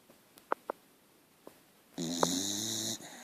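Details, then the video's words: Archie the dog, asleep and dog tired, gives a single nasal, buzzing snore lasting about a second, preceded by a few soft clicks. "Archie snoring. .....dog tired!!"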